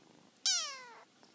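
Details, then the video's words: Short high-pitched squeak from a kitten addressing its mother: one bright meow sweeping downward over about half a second, with near silence around it indoors. "kitten talks to Momma"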